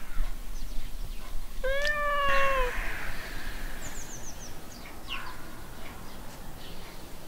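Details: Domestic cat named Frida giving one long clear meow, rising then slowly falling over about a second, over steady background noise, with faint high chirps afterward.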